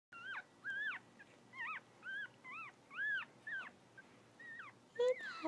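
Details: Havanese puppies, one day old, making a series of thin, high, arched whimpers and squeaks, about ten short cries each rising then falling, closely spaced over a quiet background.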